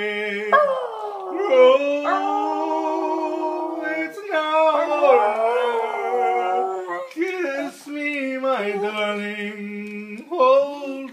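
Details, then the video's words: Miniature Pinscher howling along while its owner sings "It's Now or Never" indoors, with long, wavering, high howls that rise and slide down, overlapping and sitting above the person's lower sung melody. "The singing Min Pin"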